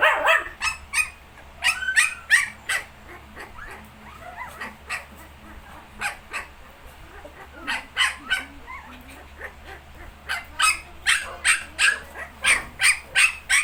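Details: Nineteen-day-old Shih Tzu puppies yipping: a long run of short, high, sharp barks and squeaks, repeated in quick uneven bursts throughout, getting denser and more regular near the end.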